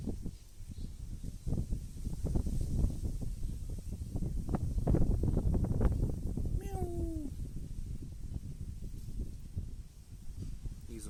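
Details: Stray kitten wanting food gives a single clear meow, sliding slightly downward, in the middle of a stretch of loud rustling and low background noise.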